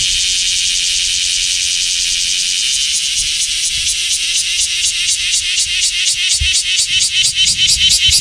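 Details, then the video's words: Common cicada, called semi in Japanese, singing in Japanese summer after the rainy season has ended; a dense high buzzing drone with pulses that grow sharper and more distinct over the second half, with faint low rumbles underneath. "sound of summer in japan semi insects"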